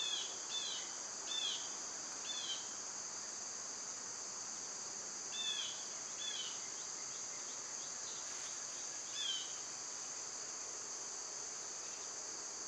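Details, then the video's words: Cicadas in summer, loud at this time of year, hold a steady high hissing drone throughout, while birds add short chirped notes in clusters near the start, middle and end. "Birds & Squirrels w/ Cicada sounds"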